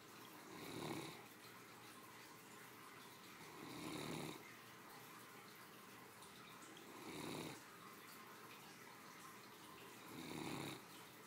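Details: Three-year-old female Great Dane snoring comfortably while asleep after her midday meal indoors; soft raspy snores rise and fall roughly every three seconds, four breaths in a row against a quiet room hiss.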